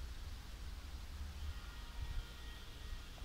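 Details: Low rumbling noise and steady hiss, with no clear animal sound.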